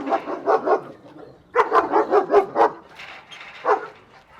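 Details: German Shepherd dog in a reactive barking fit directed at another dog; bursts of loud, harsh barks in quick clusters of three to five, with a pause mid-way, then a single later bark; voices nearby.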